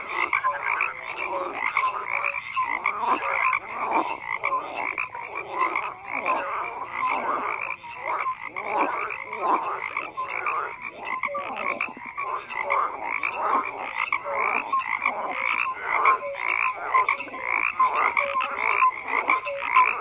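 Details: Continuous frog chorus of many callers, a dense layer of rattling, pulsed croaks overlapping without pause, evenly loud with small swells, no other sounds apparent.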